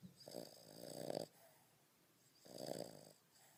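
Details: A 5.5-month-old French Bulldog asleep, snoring like a grown man. Two softer, wheezy, rasping snores swell and fade about two seconds apart over quiet background hiss.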